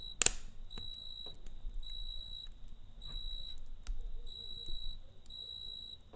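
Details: Cricket chirping at night beside a campfire: high, even bursts about half a second long, repeating roughly once a second, with sharp crackles and pops from the fire between them.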